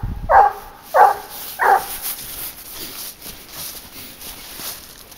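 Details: Garuo, a 22-month-old hunting dog working on a leash while trailing wild boar, gives three sharp, mid-pitched barks about 0.7 seconds apart in the first two seconds, then falls quiet under a faint outdoor hiss and rustle.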